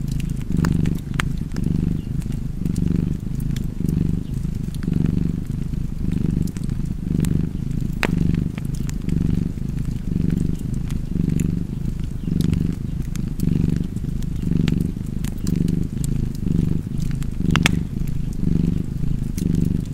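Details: Cat purr, deep and continuous, rising and falling with each breath about once per second, set against the intermittent crackling and popping of a hearth fire.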